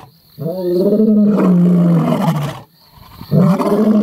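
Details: Male lions of the Mapogo coalition give deep, rumbling roars, one long swelling bellow followed by the start of another; finding: Lion.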